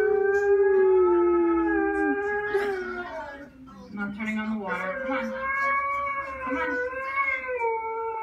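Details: Siberian husky crying with long, wavering, tonal howls that dip and rise, broken in the middle by shorter yodel-like cries and what sounds like voices.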